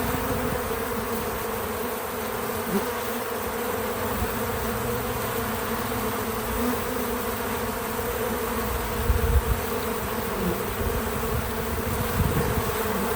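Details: Bees coming to a feeder, natural sound without music: an even, sustained buzz holding its tone across the whole stretch, a few faint brief rises and a low thump near the ninth second.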